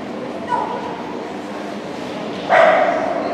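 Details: Shetland Sheepdog at an obedience competition, the Saint Petersburg Cup, on 11 February 2018; a faint short cry is followed by one loud, sharp bark with a clear tone, over steady hall background noise.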